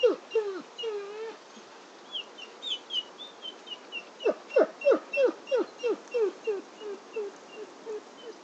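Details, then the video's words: A wolf whimpers: a few drawn-out, wavering whines first, then a steady series of short, sharply falling yelping whines about three per second, fading slightly toward the end. "Wolf Whimper"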